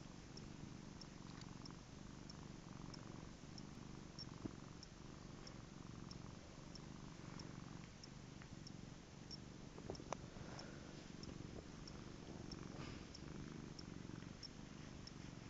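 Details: Domestic cat purring steadily, a continuous low rumbling throb throughout, with faint ticking clicks in the background.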